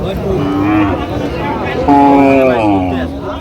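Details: Cattle at Aftabganj haat, a livestock market, on 6 September 2025, where lean dairy cows are sold: two drawn-out, resonant moos, the second louder and longer, over a constant murmur of people bargaining.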